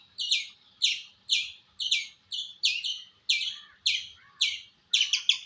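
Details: Sharp squirrel chirps, each a high, falling two-part note, repeated about twice per second, closing with a rapid cluster of three chirps; quiet setting.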